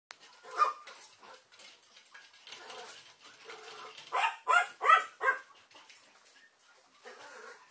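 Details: Papillon mother with her puppies; squeaky puppy whimpers and short yips, soft at first, then a louder cluster of high, tonal squeals around the fifth second, with quiet rustling between.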